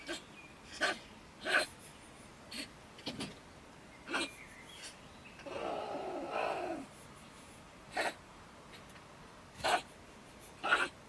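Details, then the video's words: Female stone marten (beech marten) living in a woodpile beside a shed in Germany, ranting in bad temper around 10 pm. Short harsh bursts sound at irregular intervals, broken midway by a drawn-out, wavering growl lasting over a second. "Our Ranting Neighbour Mrs. Stone Marten - Frau Steinmarder flippt aus"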